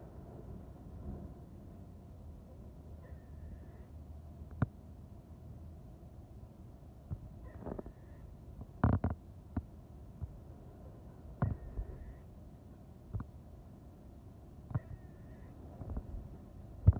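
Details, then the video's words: Squirrel mating call: faint, short, high squeaks recur roughly every three to four seconds over a quiet low hum, with scattered sharp clicks and taps in between. "Squirrels Mating Call"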